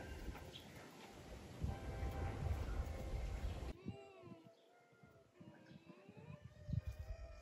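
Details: A fox at Miyagi Zao Fox Village in Japan, a former fur farm with about 100 free-roaming foxes, in cold weather, gives a string of distinctive thin, wavering whines bending up and down in pitch, after several seconds of loud rushing noise.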